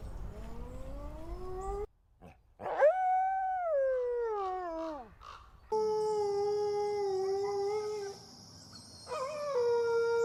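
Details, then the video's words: Wolf howling, possibly a red wolf of the southeastern United States: long, smooth tonal howls that rise, hold steady near their peak and then fall away, with abrupt cuts between segments and a faint steady high tone overhead. "Amazing Wolf Howl Compilation"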